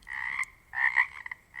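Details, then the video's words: Pacific chorus frogs in the Pacific Northwest, a quiet place where each frog can be told apart: raspy croaks in three short bursts with pauses between. "Sounds of the Northwest: Pacific chorus frogs"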